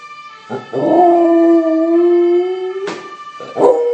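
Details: Corgi giving a long, smooth, drawn-out howl that holds a steady mid pitch for about two seconds, preceded and followed by brief rough yelps, over a constant high steady tone in the background.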